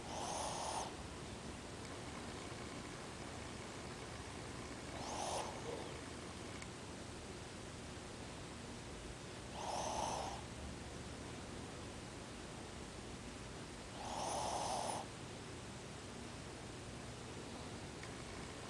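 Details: Ozzy, a pet Shih Tzu, sleeping with his eyes open and snoring: four raspy, breathy snores, each under a second, spaced about every four to five seconds over a steady low background hiss.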